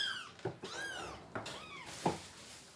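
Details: Baby kittens crying indoors, one of a mother cat's three kittens estimated at four weeks old, waiting to be fed before deworming; several high, arching, harmonic mews in quick succession, with soft bumps and clicks from handling and the room.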